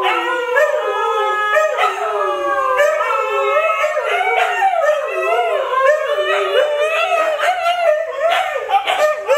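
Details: Siberian Huskies Luna, Gizmo, Arya and their puppies howling together: several overlapping wavering voices rise and fall in long drawn-out tones, with short yipping breaks in a steady chorus throughout.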